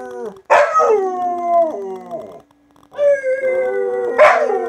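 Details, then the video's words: Pet Huskies in a group howling session: a sharp yelp launches long, steady, slowly falling howls, then a short silence before a second sustained wavering howl with a harsh yelp near the end. "Husky Barking: Level 3 Howls"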